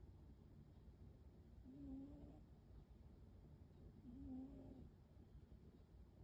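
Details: American Shorthair cat snoring, soft low nasal snores heard twice in six seconds, each slightly rising and drawn out, over a steady low background hum.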